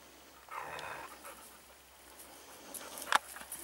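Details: Segugio Italiano hounds, short-haired and wire-haired, hunting hare near Sofiko in Evros, Greece, on 18 October 2015; one brief, distant bay rises above rustling outdoor background, followed later by a sharp click.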